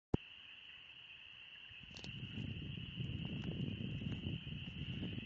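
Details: Spring peepers in a deafening chorus in the Oxford Woods on a warm spring day, a steady high shrill band of overlapping peeps, with heavy rustling and footstep noise underneath.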